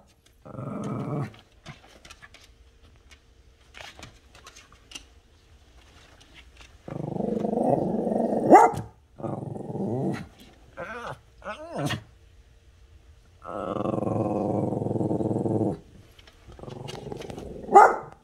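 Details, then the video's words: Buddy the dog growling at the cat next door, who dislikes him despite both being friendly: long sustained low growls in several stretches, separated by quiet gaps and brief clicks, with a sharp yelp at the end. "Buddy talking to the cat."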